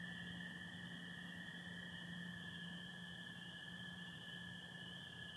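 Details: Night chorus of spring peepers and American toads in Michigan in late April, stars and some overcast; a continuous high-pitched peeping wall of sound over a steady lower trilling drone and a soft low hum.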